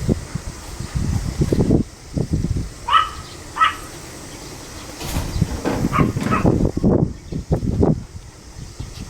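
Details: Pomeranian on 25 July 2015 barking in a few brief high yaps, separated by stretches of heavy low rumbling and knocking sounds.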